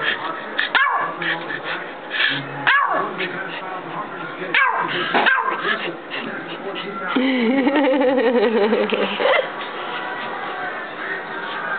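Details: Pomeranian indoors barking at its owner, who makes a claw shape with a hand: several sharp separate barks over the first half, then a longer wavering growl-like whine, with human speech mixed in.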